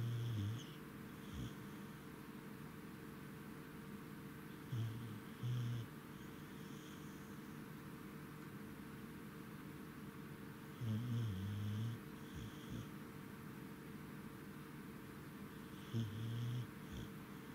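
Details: Welsh Corgi named Goro, tired and asleep at night on 10 November 2017 after coming home from Lake Yamanaka, gives faint low rumbling snores in short bursts about every five seconds over a steady soft hiss.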